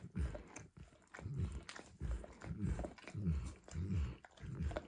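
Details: Max, a dog, licking and lapping at a bumpy orange food mat in close quiet surroundings; loud wet smacks repeat about every two-thirds of a second, with crunchy, chewing-like texture.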